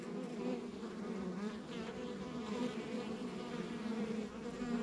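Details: Rural backyard hive of honey bees humming steadily, a thick layered drone with faint wavering tones of single bees flying nearby, level and unbroken throughout.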